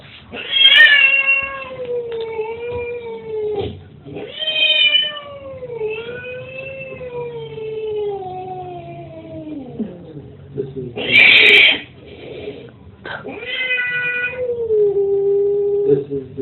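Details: Angry domestic cat screaming, played back from another recording, which startled a listening cat into hiding. Long wavering yowls slide slowly downward across several drawn-out bursts, with a harsh, loud squall near the end before another falling wail.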